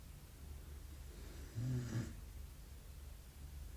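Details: Belgian Malinois puppy asleep, giving a single short, throaty snore lasting under half a second, low and rough with a breathy edge, against a steady low room hum.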